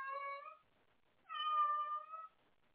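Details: Indoor cat calling out for a playmate late at night: two clear, loud, steady meows, the first half a second long, the second a fuller one-second cry, rich and harmonic, with silence between.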